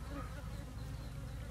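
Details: Low, continuous humming drone of an Asian honey bee swarm (Apis cerana) split from its mother colony, while the beekeeper relocates it near a queen box; even buzzing with no breaks.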